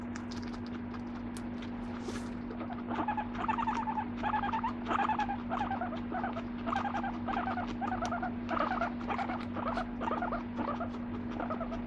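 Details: Pet guinea pig making soft, rapid squeaky chirps in short bursts, several per second, running through most of the recording over a steady low electrical hum.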